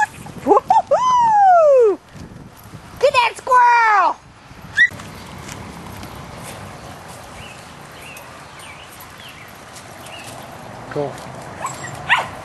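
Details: Rat terriers hunting squirrels outdoors give two drawn-out, loud yelping barks that arch up and fall away, one early and one near four seconds, followed by quieter rural background with a few faint distant yelps.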